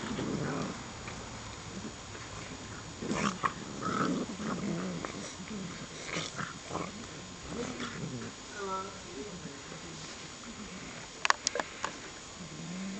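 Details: Shar Pei puppies growling and grumbling in short low bursts, with a brief whining squeal near the middle, sharp clicks and scuffles toward the end, and human speech in the background.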